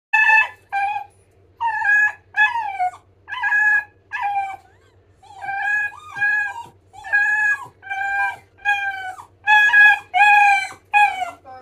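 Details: Miniature Dachshund puppy howling while waiting for dinner: a long series of short, wavering, rising-and-falling howls and yelps, about one every second, indoors with a faint steady hum.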